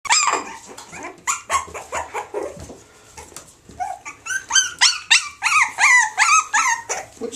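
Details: Springer Spaniel x Jack Russell cross, bred from a female Springer Spaniel and a male Jack Russell, giving high, short yapping barks. They are scattered at first, then a quick run of about ten yelps in the second half, with a person talking nearby.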